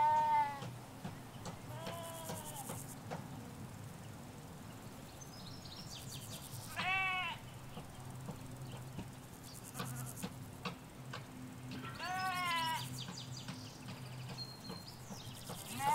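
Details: Sheep, ewes with their lambs, grazing a field in the Hampshire countryside, stereo M5s microphones by the hedge: several short, quavering bleats spaced a few seconds apart, light bird chirps and a constant low background hum.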